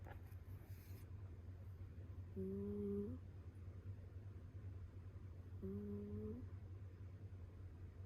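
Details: Mame Shiba Inu snoring while asleep: two soft, nasal, humming snores less than a second long, spaced about three seconds apart, over a steady low indoor hum.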